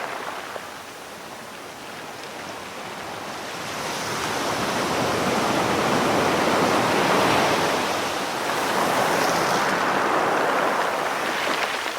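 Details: Steady roaring wash of surf and moving water swells louder around the middle and stays broad and hissing throughout, with no calls or whistles standing out.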